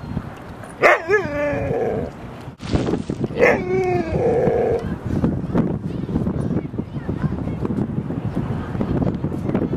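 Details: Dogs Rosy and Rocky at play in Seal Point Dog Park on the western side of San Francisco Bay, September 16, 2015; two high, wavering whining yelps about three seconds apart, amid rustling, footsteps and outdoor noise.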